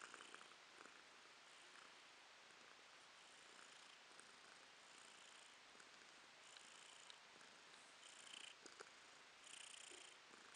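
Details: Pet cat Romashka purring in April 2022, a long, even, whispery rumble with slow breath cycles, growing slightly stronger in the later seconds, with a small click or two.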